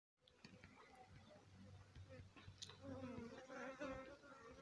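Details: Honey bee swarm settled on the roof of a house, giving a dense, continuous low buzzing hum that swells louder in the second half, with faint clicks and rustles over the drone.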